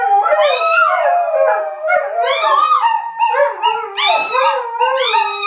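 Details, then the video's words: Two small Chihuahuas rooing along with greyhounds, singing with the big dogs; overlapping wavering high howls that rise and fall, several voices layered in long drawn-out phrases with yips between. "Chihuahuas Roo with Greyhounds"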